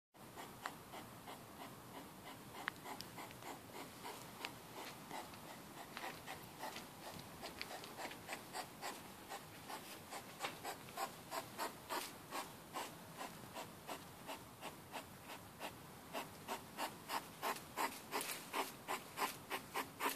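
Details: Hedgehog walking with a partner late at night behind a house, recorded on a mobile phone: a steady run of short, breathy puffing grunts, roughly three each second, growing louder and sharper toward the end.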